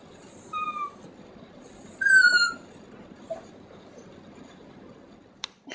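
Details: Dog making a sound its owner finds hard to believe comes from a dog: two short, high, clear tonal cries, the first brief and thin, the second louder and slightly falling, like a cat's meow, then quiet with a sharp knock near the end.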